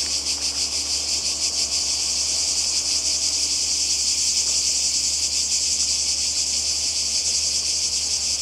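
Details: Steady high-pitched buzz of many cicadas on the Croatian coast in summer 2020, a constant sizzling wall of sound with quick rhythmic throbbing and no pauses.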